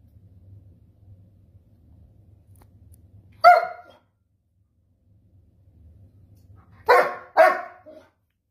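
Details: German Shepherd, long-haired double-coated dog in timeout, talking back indoors: after a quiet stretch, one short bark, then a pause of about three seconds and a quick pair of barks, in a small room.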